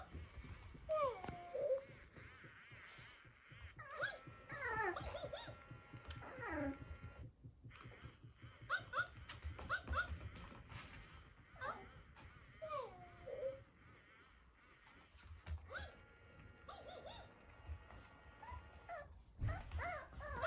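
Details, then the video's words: Two-month-old tricolour Cavalier King Charles Spaniel puppy meeting its older Blenheim sister indoors, giving repeated high whining squeals that rise and fall in short bursts, with quiet room noise and a few soft thumps between them. "キャバリアパピー 子犬ｖｓ甘えん坊スパニエル～初対面編～【cavalier king charles spaniel】"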